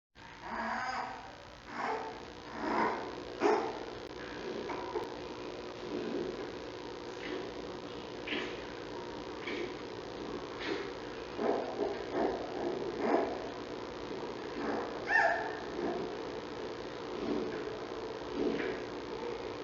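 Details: Newborn giant panda cub of Mei Xiang, born August 21 and watched on the National Zoo Panda Cam, hiccuping: short soft bursts repeated irregularly about once a second over a steady low background hum.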